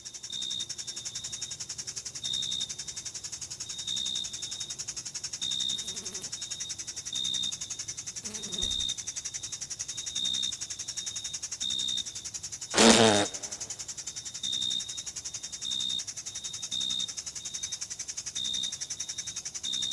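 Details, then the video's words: Crickets and other insects in a meadow in June, summer; a thin high chirp repeated steadily in short pulses over a continuous high insect hiss, with a sharp brief burst near the middle. "Sounds of Summer: Sleep and Relaxation Nature Sounds, Crickets, and Insects - A meadow in June"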